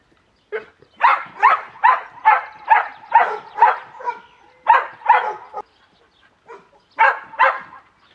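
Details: Cimarron Uruguayo, a trained trick dog working to hand signals, giving a rapid run of about a dozen loud, even barks in rhythmic series, pausing briefly before two final barks.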